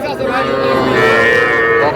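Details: Cattle calls at a small-bull and heifer-calf market in Aftabganj, Dinajpur, 24 August: one sustained, slightly wavering harmonic moo lasting about two seconds amid loud market voices.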